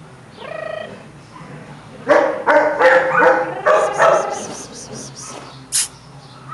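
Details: A Chihuahua puppy from the Hotelcan kennel yaps in a quick series of high, sharp barks, about five in two seconds, after a brief whine, with a faint high squeak near the end.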